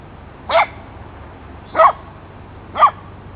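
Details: Minnie, a pet Basset Hound, barks during play with Marti the cat, giving three brief, punchy barks roughly one second apart with little other sound.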